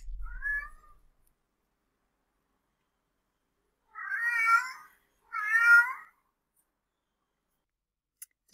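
A domestic cat opens with a brief, rising meow. After a pause come two longer, louder, darker yowls, wavering mating calls sung from deeper in the throat.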